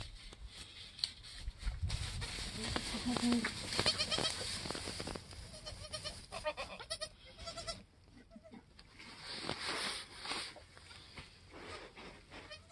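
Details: Newborn goat kids, a doeling and a buckling, within their first hour or two after birth on a homestead, the mother having just finished kidding; short wavering bleats repeat among overlapping human speech and handling noise.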